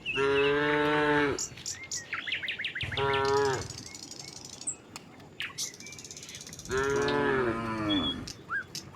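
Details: Herd of tame cattle walking calmly along a village road from the neighbouring village to their pen: three long, low, harmonic moos, each one to two seconds, separated by quieter gaps with faint high bird chirps.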